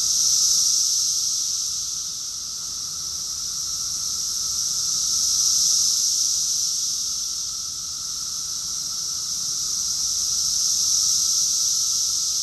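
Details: Summer chorus of many cicadas in Rockville, Maryland, USA, June 2021: an unbroken shrill buzzing wall of sound that rises to a loud peak roughly every five seconds and then eases back, steady and uninterrupted throughout.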